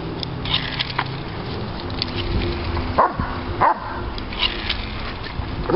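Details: Three-year-old Doberman Pinscher Diesel throws a fit over bubbles, giving two brief sharp yelps about half a second apart against steady low rumbling and clattering background noise.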